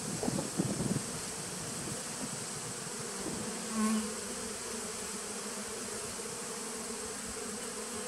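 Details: Nucleus honey bee colony from 2017, recorded 19 September 2018: an opening burst of close buzzing settles into a low steady hum. Midway, a single pitched buzz swells briefly, like one bee passing near.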